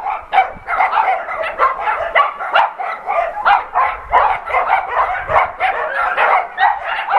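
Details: Dogs in an adoption center bark at an NRK TV crew, a crowded run of quick, bright barks from several animals, pulsing roughly three to four times a second with short yips mixed in.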